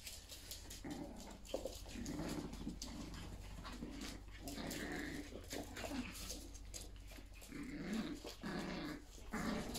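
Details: A Yorkshire Terrier mother and her puppies play around the house, a steady stream of low grumbling growls broken by higher yelps and constant scuffling of paws.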